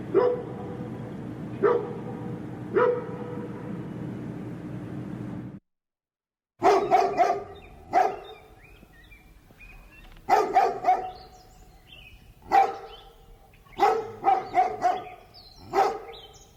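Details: Large dog barking: three muffled barks over noisy background, a brief silence, then louder, clearer barks in irregular runs with echoing tails and a few thin high chirps.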